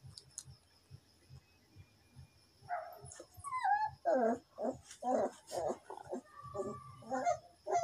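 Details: A dog, angry at a mosquito and trying to catch it, gives a series of short growly whines and yelps, one rising squeal, then rhythmic grumbling barks about twice a second; faint steady electrical whine in background.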